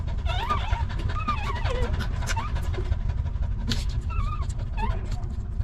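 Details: Stray dogs, a mother with her litter of puppies living in a rough place, as a puppy is picked up: high, wavering whines rise and fall in short bends, with steady low traffic rumble and brief speech.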